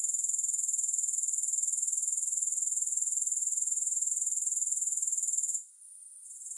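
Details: A steady stream of high, thin rasping pulses from grasshoppers, roughly four a second, running evenly for over five seconds before dipping to a faint murmur near the end.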